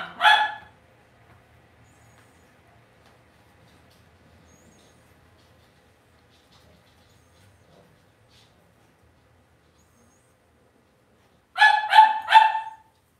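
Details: Cavalier King Charles Spaniel puppies in an indoor home puppy pen give a short burst of high yips, then near silence with faint rustling, then a quick run of three or four sharp, harmonic yips.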